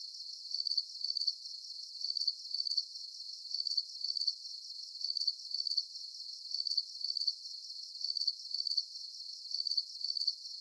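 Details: Crickets at night under a full moon, chirping in a high, thin, steady trill of short pulsed bursts repeating about once a second, evenly spaced with no other sounds.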